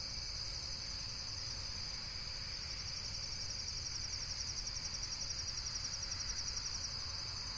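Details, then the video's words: A continuous shrill insect trill made of fast, evenly spaced pulses, about four per second, holding the same high pitch throughout, with a soft low hum beneath. "Amazing Insects World - Relaxation Video with Various Nature & Insects Sounds"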